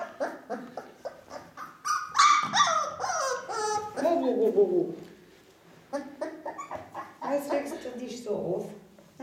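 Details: Ca de Bou puppies, four weeks old, offspring of Bea and Bubu, give rising and falling whines and yelps, some drawn out, mixed with a woman speaking to them indoors.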